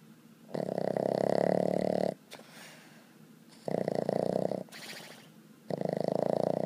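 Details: Annie, a Boston Terrier, asleep and snoring: three long, rough, buzzing exhalations of one to one and a half seconds, separated by softer breathy intakes, in a quiet room.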